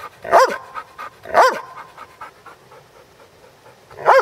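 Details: Basset Hound barking while playing: three short, loud barks with an arched, harmonic tone, the first two about a second apart near the start and a third near the end, with soft panting in between.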